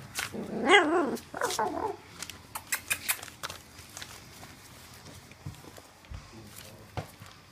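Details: Welsh Springer Spaniel puppies at three weeks old: one loud, squealing yelp with a wavering pitch, then a softer whine, followed by scattered clicks, taps and shuffling.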